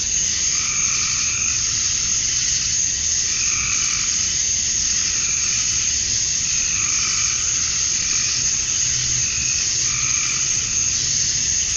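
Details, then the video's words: Summer dusk chorus of male cicadas in Georgia, USA, calling to attract females: an unbroken high-pitched hiss-like whine, overlaid by recurring mid-pitched throbbing bursts spaced a couple of seconds apart. "Cicadas at Dusk, Summer Night"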